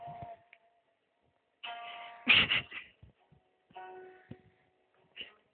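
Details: Bright chiming musical tones ring out in short phrases separated by silence. No animal voice is heard.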